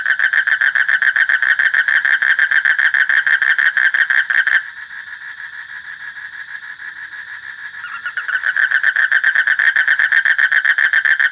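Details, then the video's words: Frog calling in a rapid train of raspy, evenly spaced pulses. The pulses drop to a softer, blurred stretch midway, then return at full strength. "Suara Kodok / Frog Sound"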